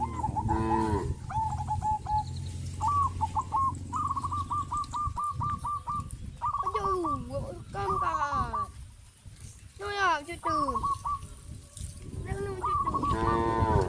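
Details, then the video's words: A herd of cows moving towards green grass fields on a village farm: short moos at the start and near the end, with many rapid, hooked honking calls filling the time between them. "A herd of cows heading towards the green grass fields, sound of cows"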